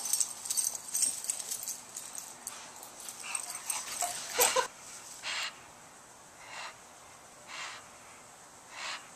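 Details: A male English Bulldog snorts and snuffles in rough, breathy bursts while excitedly chasing bubbles in the back yard, with a person speaking briefly.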